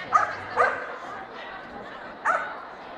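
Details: Swedish Vallhund in the best male ring at the Strängnäs international dog show on 15 March 2015: three short, sharp barks, two in quick succession and one after a pause, over steady indoor crowd chatter.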